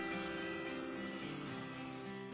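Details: Cicadas, said to make this noise to attract mates or raise an alarm; a steady, dense, hissing buzz that holds without pause, with faint low tonal hum beneath.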